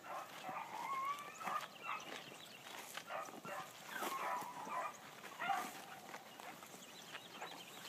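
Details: Female Blackcreek hound on her first morning run, giving drawn-out, ringing bawls that bend in pitch, broken by shorter chops, heard at a distance over outdoor background noise.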